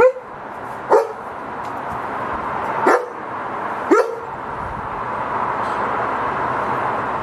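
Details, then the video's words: German Shepherd security guard dog, one of two kept in Cambodia, giving four sharp separate barks over about seven seconds against a steady background hiss. "Best security guard dog are German shepherd [barking]"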